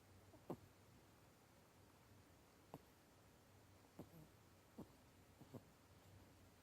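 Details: Sleeping pet rabbit Onigiri gives loud snoring breaths at home, a sound that worries the family although it is healthy: short, sharp snorting pulses at uneven gaps of about one to two seconds against a low, steady room hum.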